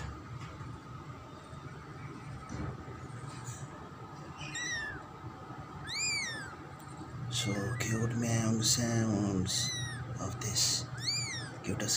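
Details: Kitten, the second new kitten of a pet cat, giving several short high arched meows that rise and fall, repeated in quick bursts, with a low steady hum and some rustling in the background.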